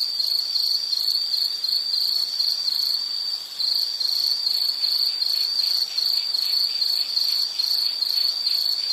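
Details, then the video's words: Insect chirping used as a calming nature soundscape: a steady, high, pulsing trill held at one pitch, repeated in rapid even bursts throughout with a brief dip near the middle, and no other sounds. "Nature Sound of nature sounds scenery L · insect"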